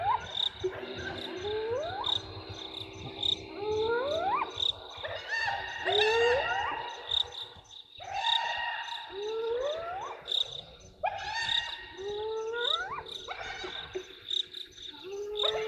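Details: Hyenas very excited about something at Gowrie dam waterhole, Djuma Game Reserve, Sabi Sand Wildtuin, South Africa, 15 November 2023, on a live waterhole camera: a run of repeated rising whooping calls, several overlapping, over a steady high insect drone.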